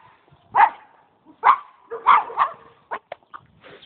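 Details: A pet dog gives a few loud barks spaced about a second apart, then quicker, softer yips and a short whimper at the end.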